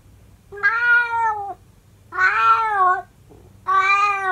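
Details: Calico house cat singing to its owner indoors: three long, drawn-out meowing howls, each under a second, with a steady pitch and rich harmonics, spaced about a second and a half apart in a quiet room.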